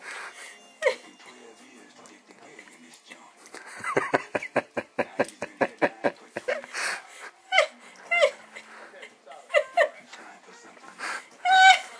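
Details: Pomeranian guarding a marrow bone, letting no one near, indoors: a rapid run of pulsed rasping growl bursts near the middle, then scattered snarls and short yaps, with a woman's voice speaking throughout.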